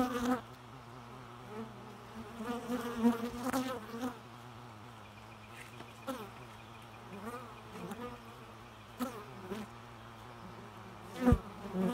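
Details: Bees humming, a steady low drone with wavering overtones, louder passes around the middle, and a sharp tap near the end.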